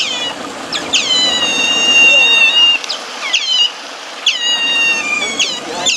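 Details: Eurasian otters at Basel Zoo give shrill, piercing whistles: long steady tones with brief upward and downward slides at their edges.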